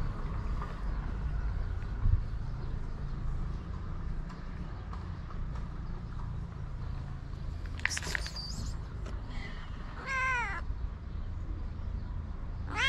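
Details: Hungry white street cats with blue eyes in Morocco, strays being fed; three harmonic meows near eight and ten seconds, the last wavering, over a steady low rumble of traffic.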